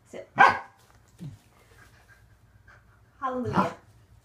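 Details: Waffle, a pet Corgi, during an unedited home training session of leg extension and conditioning exercises, gives a short sharp bark near the start and a longer, falling, harmonic bark-yelp near the end, between quiet gaps and the trainer's praise.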